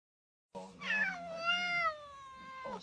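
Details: Domestic cat giving a single long, clear meow: it starts suddenly after a moment of silence, rises, holds a steady tone with rich harmonics, then tails off downward into a short second sound at the end.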